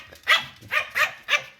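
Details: Four quick, sharp, high-pitched yaps from a white Pomeranian at home, its loud habit of barking whenever the family is about to leave the house.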